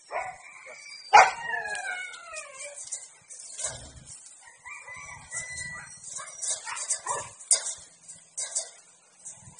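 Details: Siberian Husky during mating at a dog breeding kennel in District 12: a short sharp yelp breaks into a falling, wavering whine, followed by softer broken whimpers and scattered noises over a constant high background hiss.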